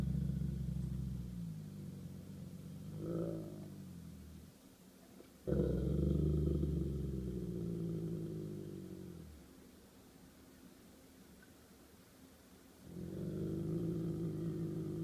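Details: Golden Retriever defending its territory in a standoff with a squirrel: deep, rumbling growls lasting several seconds each, separated by short quiet gaps, with a low background hum.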